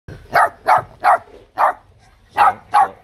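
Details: Vietnamese bobtail (chó mông cộc) puppy, one of a litter of three, barking cheekily: six sharp, harmonic barks in about three seconds, spaced roughly a third of a second apart with a short pause midway, over a quiet background.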